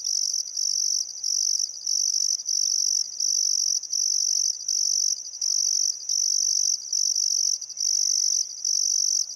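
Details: Summer sunset by the Barcoo River, Welford National Park, Outback Queensland, Australia: crickets give a bright, piercing trill in long bursts separated by brief breaks, while a few faint whistled birdcalls sound lower down.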